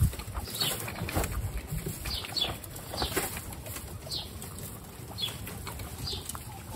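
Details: Guinea pigs, including the babies Snow, Pistachio and Pumpkin, give short high downward squeaks spaced about a second apart, mixed with soft rustling and low shuffling.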